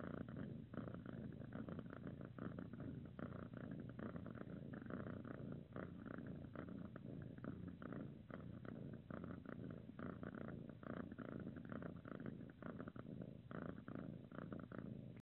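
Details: Cuddling calico kitten purring without pause, a dense low rumble pulsing evenly for the whole stretch, recorded close with slight rustle.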